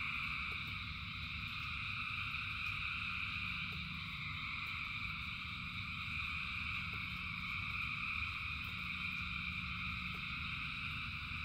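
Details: Massed frog chorus during rain, a constant layered trill-like hum held at a few high pitches without pause, backed by steady low rain noise and sporadic drip taps.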